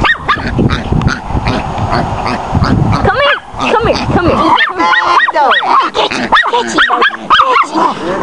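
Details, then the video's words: A pet Chihuahua bays a young wild boar. Rough rustling noise at first, then sharp yapping barks mixed with thin, wavering squeals in the second half. "tootie bayin a wild boar pig"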